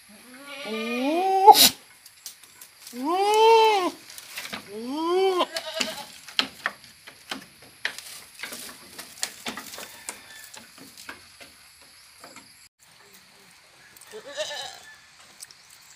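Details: Goat giving three loud, wavering bleats in the first five seconds, each a nasal rising-then-falling cry; then a spell of scattered clicks, knocks and rustling, with one fainter bleat near the end.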